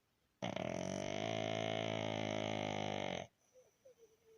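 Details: A resting pug snoring: one long, steady, buzzy droning breath of nearly three seconds with an even tone throughout, then a few faint soft snuffles afterward.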